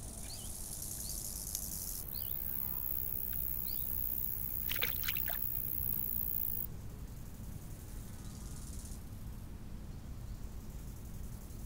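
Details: Crickets by a lake on a summer evening give a continuous, very high trill, unbroken for several seconds before dropping away, with a few short, thin bird notes early on over a low, constant rush of wind.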